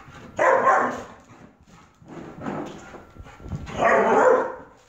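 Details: German Shepherd puppy Heidi running around like a maniac; three loud, rough, broad bursts of barking or huffing about one and a half seconds apart, with quiet scuffling between them.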